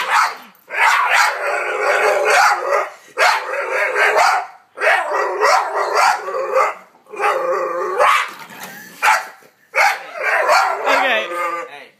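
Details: Boxer puppy facing off against a vacuum cleaner; repeated high-pitched whining barks and howl-like yelps in five long bursts, each lasting one to two seconds with brief gaps between.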